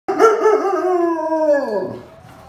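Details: Belgian Malinois dog that has found a tennis ball gives one long howling whine, harmonic and steady, then sliding down in pitch and fading after about two seconds.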